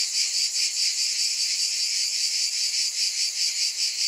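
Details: Chorus of cicadas, an unbroken piercing buzz with regular soft swells roughly two and a half times per second, nothing else audible.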